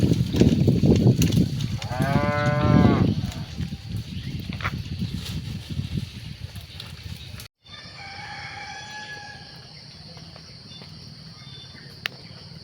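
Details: Cattle during evening herding at sunset; one deep, drawn-out moo of about a second with rich stacked overtones rises over a rumbling, noisy background, followed by a quieter stretch with faint thin whistled tones.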